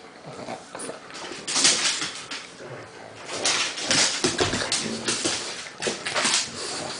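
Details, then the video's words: Two dogs, a Pug named Lucy and a Bernese Mountain Dog named Crystal, play wrestling indoors in a small room; scattered whiny grunts and whimpers with scuffling, rising and falling in bursts, a person speaking just before. "Lucy and Crystal Wrestling"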